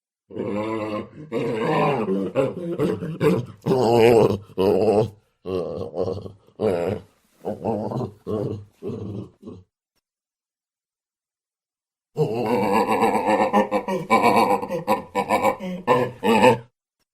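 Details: Baboon giving rough, harmonic-rich grunting calls in two bursts of rapid, uneven syllables, separated by about three seconds of silence.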